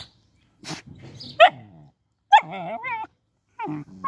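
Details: Young puppies penned behind a fence let out a few sharp yelping barks followed by quavering whines, separated by brief silences.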